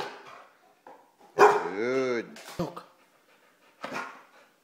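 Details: Bernese Mountain Dog asked by its owner to talk, answering with a drawn-out, wavering howl-like vocal of nearly a second, among the owner's praise and clicking sounds.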